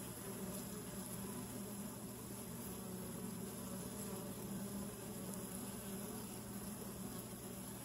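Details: Honey bees at a hive entrance tube, recorded close up: a steady, dense low buzzing hum with a wavering drone and faint intermittent wingbeat pulses, no other clear sounds.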